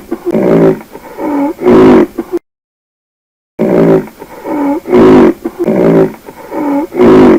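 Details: Rhinoceros giving deep, moaning calls, each about half a second long with a bending pitch, in a short series, then a silent pause and another series.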